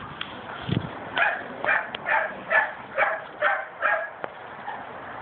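A dog barks over and over in short, sharp yaps, about two every second, without a break.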